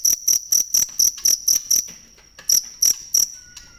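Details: Cricket chirping for songbird training: bright, piercing pulses in quick succession, breaking off briefly for a half-second pause before three more chirps follow.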